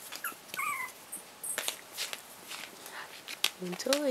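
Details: Chihuahua puppies four weeks old, a Chihuahua and pug mix from their mother's first litter, at play with her: high sliding whines and squeaks, some dropping in pitch, scattered among rustling and scratching, with a lower whimper near the end.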